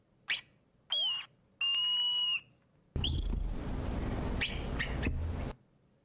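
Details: Hoary marmot alarm call repertoire, played back as a series: a brief sharp note, a whistle with a pitch swoop, a long flat high whistle, then a harsh, noisy trill-like stretch lasting over two seconds with short whistled notes inside it.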